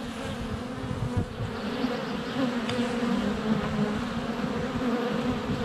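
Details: Honey bee swarm noise right at the hive entrance, February sunshine, GoPro Hero 7 Black less than a foot away: dense, even buzzing drone with bees zipping close, a single sharp tap midway.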